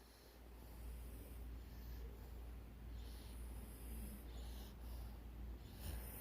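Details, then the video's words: Sleeping dogs snoring, low rumbling breaths rising and falling roughly twice a second, with soft hissy bursts on some exhalations in a quiet room. "Cute Dogs Snoring"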